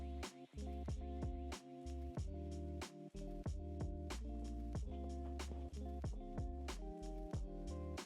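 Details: Music only: steady low chords with regular percussive beats, and no animal voice anywhere.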